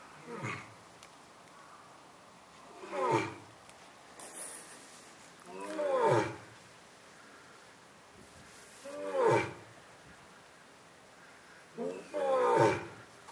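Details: Captive male lion at Asahiyama Zoo, Japan, filmed on the morning of September 15, 2022, just after becoming a father. He gives five deep, harmonic roaring grunts, each falling in pitch, spaced about three seconds apart, over quiet background.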